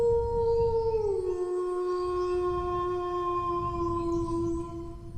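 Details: Dog giving a single long howl that starts higher, slides down after about a second, and holds a steady low tone to the end, with a soft low rumble beneath.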